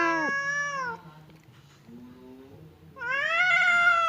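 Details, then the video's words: Fierce cat Temon and quiet cat Lelo trade threats through a partition before a fight: a wavering yowl dips and fades, a soft low murmur follows, then another rising, nasal yowl returns loudly. "SUARA KUCING BERANTEM | cat fight sound effect"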